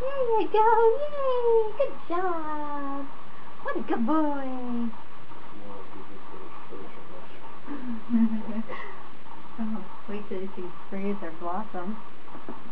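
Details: Bond, a 28-day-old Standard Poodle puppy on his fourth day of training as a future service dog, gives drawn-out, falling whines early on, then shorter, lower whimpers repeated through the rest, with a steady indoor hum underneath.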